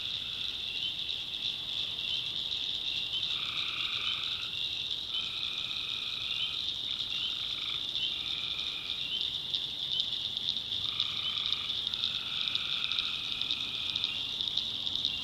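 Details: Tree frogs at night in a North Carolina backwoods swamp; a ringing high chorus runs throughout while individual two-toned calls of about a second repeat in clusters, several overlapping.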